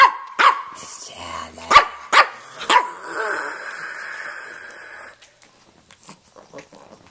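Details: Stanley, a red rough-coat Brussels Griffon male about 2.5 years old in Miami, talks with a few sharp barks and a growl over the first three seconds, followed by steady background noise and faint later sounds.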